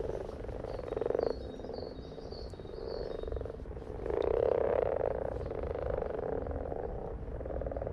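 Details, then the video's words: Chorus of frogs producing fast repeated croaks, a rattling pulsed sound that swells loudly around the middle, with faint high chirps early on. "In case you needed 2 minutes of Frogs in their happy place"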